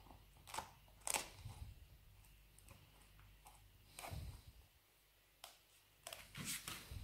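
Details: Pet Labrador Retriever Nero gnawing a dried beef rawhide bone indoors: sharp, dry crunches and cracks scattered through a quiet room, with a cluster near the start and another burst toward the end.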